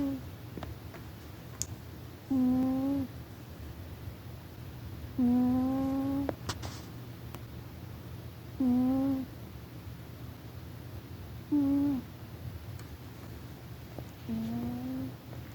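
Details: Sleeping domestic cat named Rufus snoring loudly: short, steady, humming whistle-like tones that rise gently at each breath, recurring about every three seconds over a low room hum, with a few soft clicks between breaths.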